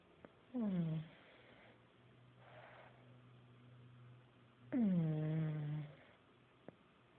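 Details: Buddy, a sleeping pet pug, snores loudly indoors: two harmonic, groaning snores that start high and sink into a low drone, about four seconds apart, with softer breathy exhales between.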